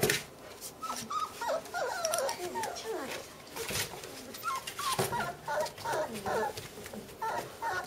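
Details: Bernese mountain dog puppies, sisters, indoors: high thin whimpers and squeaky yelps in quick wavering bursts, clustered in runs with short pauses, mixed with rustling and clattering noises.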